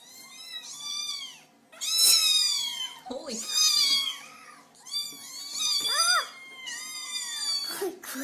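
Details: Kitten called a screamer calling insistently for attention indoors: loud, harsh, repeated meows in quick succession, some overlapping, with brief low human voice sounds between calls.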